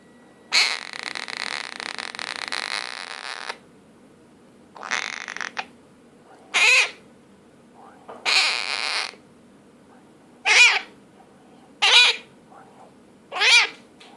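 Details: Toby, a female cat, making her one weird sound: a long raspy hiss-like burst, then a series of short, high, buzzy trilling chirps with a quick rise and fall, each about a second apart, in a quiet room.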